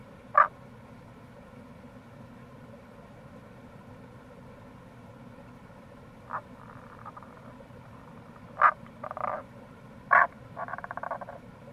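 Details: Tago's brown frog (Rana tagoi) calling in April near a gorge, Kamo River, Itoshima, Fukuoka: sharp single croaks, several followed at once by rapid buzzy pulse trains, growing busier toward the end, over steady low rushing sound.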